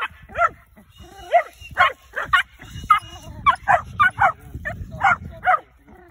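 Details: Hunting dog in training for tegu lizards barks excitedly and steadily, sharp yelping barks coming in uneven bursts roughly twice a second, with low rustling and movement noise underneath.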